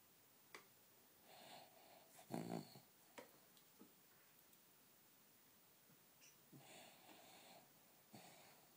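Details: Rascal, a four-year-old beagle rat terrier mix pet dog, snoring hard in sleep: soft, breathy rasping snores come in irregular bursts, the loudest near the start and another pair later, over quiet background hiss.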